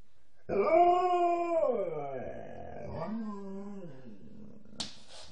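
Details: Alaskan Malamute named Nukka, a female, howling because she seemed to be missing her mum: a long, steady harmonic howl that wavers and then slides downward, followed by a second, shorter dipping howl, ending with a brief click.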